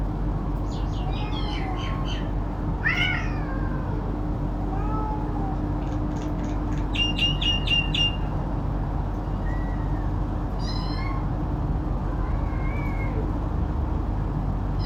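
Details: Cats, including a kitten, meow repeatedly while eating and squabbling over food; rising and falling wavering meows come in bursts, with several quick high chirpy mews, all over a constant low hum and rumbling noise.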